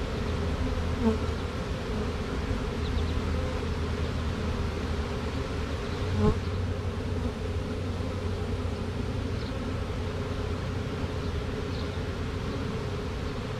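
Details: Caught honey bee swarm, with two queens, marching into the box over drywall; steady deep hum of many bees, a brief louder knock near six seconds, and a few faint higher buzzes of single bees passing close.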